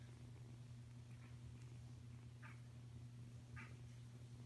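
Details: Low, even purring from Kuda, a Savannah cat kitten aged five weeks. The purr holds steady, and two or three faint, brief higher mews or squeaks come through over it near the end.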